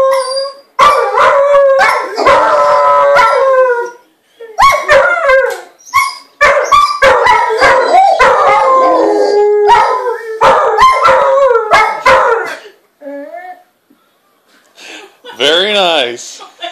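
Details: Howling dogs celebrating a Virginia Tech score: bursts of layered, wavering howls mixed with a few barks, broken by short pauses, ending with a quieter howl and a rapidly warbling, quavering wail.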